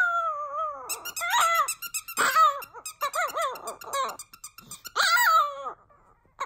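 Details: Cedric the Chihuahua in his first ever howling song: a steady held tone, then a run of short, wavering, rising-and-falling howls, broken by bursts of fast pulsing. The sound fades out near the end.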